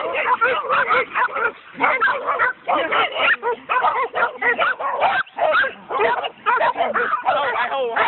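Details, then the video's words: A pack of coonhounds on a raccoon barks in a dense, frantic stream, rough yelping calls overlapping, about two a second, with one short lull around the middle. "Coon dogs on a coon"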